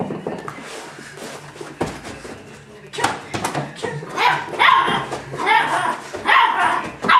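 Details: Six-week-old female golden retriever puppy giving a fierce bark: a quieter first half, then a run of loud, rough, high-pitched yaps and barks from about three seconds on, with human voices mixed in.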